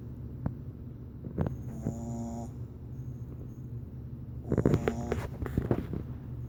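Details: A female Boston Terrier puppy snores loudly in her sleep with low, rumbling, nasal breaths.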